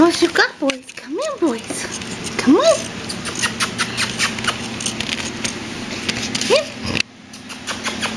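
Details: Two six-week-old male Pomeranian puppies, Boo Bear, a tri-blue merle, and a red sable merle, give several short high rising-falling whines indoors, interleaved with a woman's coaxing voice and pattering noises.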